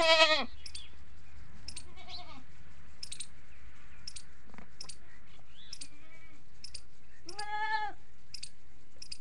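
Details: Early-morning calls of hungry farm goats, adult and kids: a short harsh bleat opens, quieter wavering calls follow in the middle, then a second clear quavering bleat near seven seconds, with scattered bird chirps behind.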